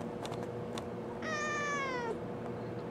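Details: Kitten Halo answers her owner's questions with a single meow, nearly a second long, that starts high and slides gradually downward, tailing off at the end. Room noise is faint and there are brief soft clicks beforehand.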